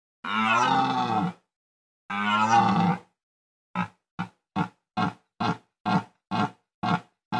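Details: Red deer stag bellowing in the mating season: two long, deep, harmonic roars of about a second each, followed by a rapid series of short, clipped grunting roars repeated roughly twice a second. No other sounds.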